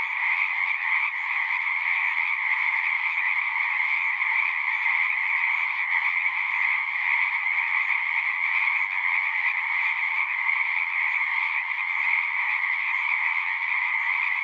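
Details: Frogs at a pond in a horse pasture keep up a continuous singing chorus, taken with a Zoom recorder; dense trills blend into an even, ringing hum in two pitch layers, unchanging in volume from start to end.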